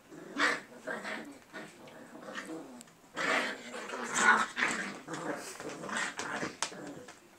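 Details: English Cocker Spaniel puppies playing indoors: rough, noisy growling and scuffling bursts, loudest near half a second and again from three to four and a half seconds, with softer rustling between.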